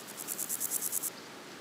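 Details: A meadow grasshopper (Chorthippus parallelus) gives a brief burst of dry, scratchy chirps, about ten pulses in quick succession.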